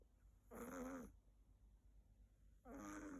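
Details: A female Siberian kitten named Sakura snores while asleep on her owner's bed. There are two drawn-out, slightly whistling snores, each lasting over half a second and separated by a quiet pause of about one and a half seconds.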